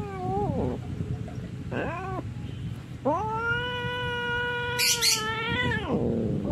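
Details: Ginger domestic cat fighting: a short wavering yowl, a brief rising-falling cry, then a long, steady, drawn-out wail lasting about three seconds that bends downward at the end, over a low constant background hum.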